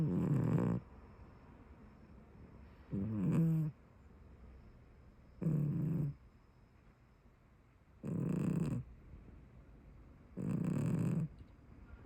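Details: Sleeping tabby cat snoring indoors: five low, rumbling snores, each lasting under a second, repeated roughly every two and a half seconds, with quiet pauses between breaths.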